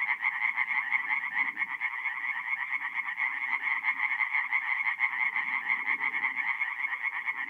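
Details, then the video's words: Tree frogs singing at night in a forest pond in mid-April, North-East Italy: a dense, continuous chorus of rapid overlapping nasal pulses, many callers at once, with softer low murmuring underneath. "relaxing forest pond by night with singing tree frogs"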